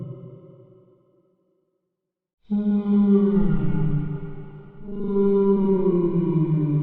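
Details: Whale call: a fading low moan, a second of silence, then rich harmonic moaning that slides gently downward, swelling again after a brief dip.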